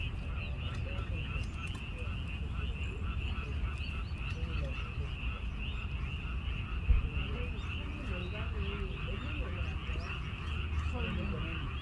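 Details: Many frogs call together near a vegetable garden plot, forming an unbroken, pulsing trill with a bright upper tone. A heavy low rumble, like wind or handling noise, runs underneath throughout.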